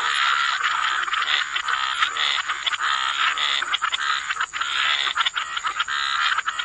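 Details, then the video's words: Chorus of frogs at a wetland edge, continuous overlapping croaks forming a thick rasping wall of sound with brief pulses breaking through and a constant high-pitched insect-like hiss. "Frog Lullaby: Relax to the Sound of Croaking Frogs"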